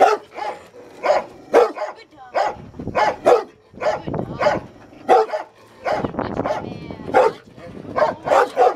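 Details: A Rottweiler in protection training, biting a sleeve for the first time, barks in loud, deep, repeated bursts roughly every half second to second.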